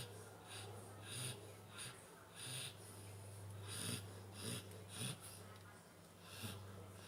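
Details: Pantera, a nine-month-old Labrador Retriever, snores while asleep indoors: raspy breaths with soft low grunts, rising and falling somewhat unevenly about every half second to second.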